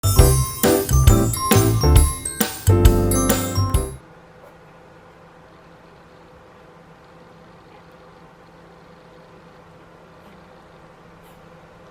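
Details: Bright jingling music plays for about four seconds, then cuts to near silence with faint room hum and no animal sound.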